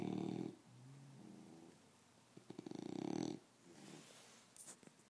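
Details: An English bulldog wearing a cone on its head snores loudly, with deep, rattling breaths.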